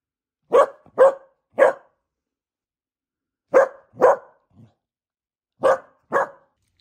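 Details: Pet dachshund at home demanding his meal with a chorus of barks: short sharp barks in pairs and a triplet, separated by pauses of about two seconds, indoors in a quiet small room.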